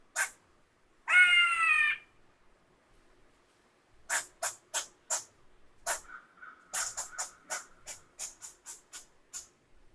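A squirrel gives a harsh, buzzy screech, then a quick run of sharp, repeated chucking notes.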